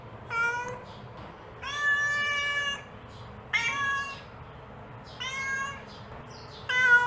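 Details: Mother cat calling her kittens: five harmonic meows, some short and some drawn out, spaced about one to two seconds apart over a steady low hum.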